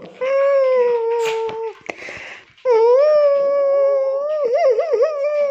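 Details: Indoor Tibetan Terrier producing two long sustained howls, the second ending in quick warbling pitch wobbles, with a brief noisy breath between them.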